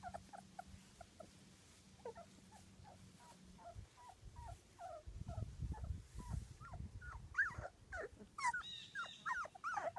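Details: Two-week-old British Labrador Retriever puppies from a litter of six, born June 24th, 2015. Many short high whimpering squeaks overlap in quick irregular succession, growing louder and denser toward the end, with low rustling and shuffling beneath.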